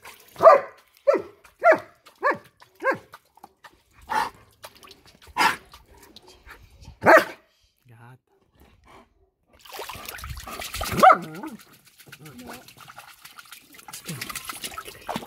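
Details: German Shepherd barking while playing with water: a quick run of five short, sharp barks, then a few single barks spaced further apart, followed by splashing water and a faint voice.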